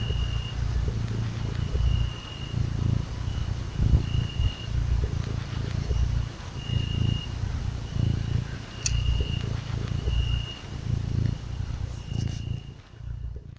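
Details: Small kitten being stroked, purring with a deep rumble that pulses steadily about once per second before fading at the end; a faint high tone and a brief click are also heard.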